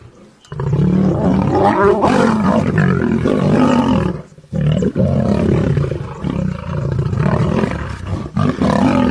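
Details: Lion, Serengeti National Park, sustained harsh roaring and snarling after a short quiet start, broken by a gap near four and a half seconds, then resuming with rough, pulsing growls.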